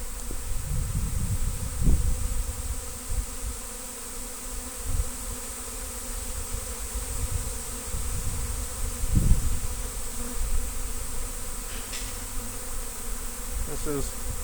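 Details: A large Western honey bee (Apis mellifera) swarm arriving in Destin on Good Friday 2025 fills the air with a deep, steady roar like an airplane spooling up, as it is trapped.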